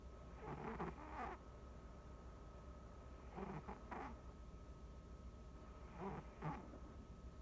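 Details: Sleeping domestic cat kept as a pet, snoring in an unedited home recording: three clusters of raspy, buzzy breaths, each a quick double snort, spaced about three seconds apart, with a constant thin hum underneath.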